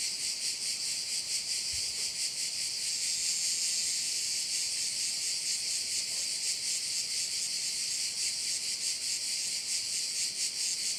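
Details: Steady, high sizzling drone of crickets beside a Korčula bay, rhythmically swelling about twice each second for the whole stretch, with only a single faint low bump early on.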